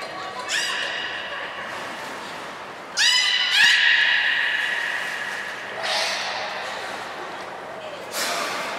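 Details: At Port of Nagoya Public Aquarium on 13 April 2019, the beluga Nana vocalizes during training: short harmonic squeaks, then a loud, rich tonal call with pulsed onset, followed by softer broadband bursts in an echoing hall.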